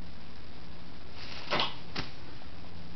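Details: Steady low background hiss in a small room, broken by two brief knocks or thumps around the middle.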